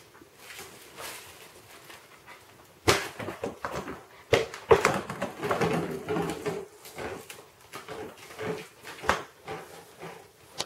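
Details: Two-month-old Siberian Husky puppy playing with a ferret indoors; after a quiet start, bursts of short whiny grunts and yips come in quick, uneven runs, mixed with scuffling, thumps and knocks in a small room.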